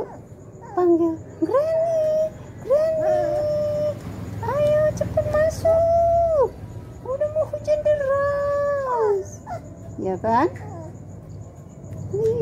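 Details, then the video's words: Poodle "talking" back while its grandmother speaks to it: drawn-out, level whining howls of about a second each, repeated in a series with brief gaps, then a few shorter yelps, low background hum. "HOW GRANY TALK TO CLEVER CUTE DOG POODLE."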